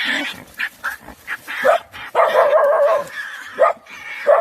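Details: Several dogs ganging up on a badger on 24 January 2021. Short choppy barks open the scene, then a long strained whining yelp, followed by more sharp barks over a rough, noisy scuffle.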